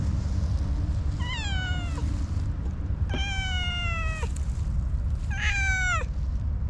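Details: Three plaintive meows from an orange tabby cat with a very cute voice, each a clear, slightly falling cry about a second long, spaced a second apart, with constant low background rumble.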